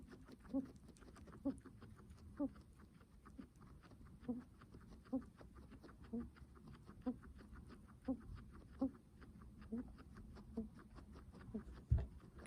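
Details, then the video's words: Laboured breathing from a guinea pig: soft wheezy huffs roughly every second in a steady rhythm, with a brief sharp knock near the end. "Guinea pig heavy breathing sounds"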